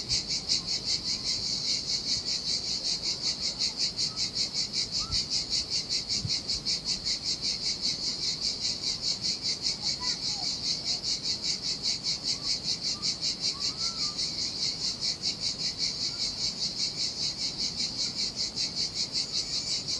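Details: Singing cicadas in the heat by the Sardinia sea produce an even, fast-pulsing high buzz for twenty seconds, with only a soft wash of surf and a couple of faint chirps beneath.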